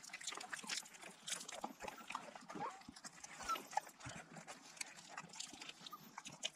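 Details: African wild dogs returning to their den to feed puppies on a private game reserve in South Africa's Kalahari Desert give a busy chorus of high, twittering squeals and chirps that overlap in quick bursts.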